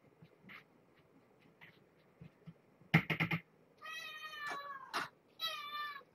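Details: During a bedtime care visit, a mother cat with five young kittens gives two loud, insistent, harmonic meows after a burst of clattering from her food being served, with quiet rustling before.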